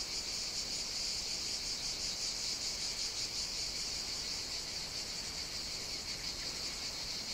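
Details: Cicadas singing on the Greek island of Evia in the Mediterranean on a hot summer day: a dense, unbroken high buzzing chorus with a faint pulsing shimmer, steady in loudness throughout.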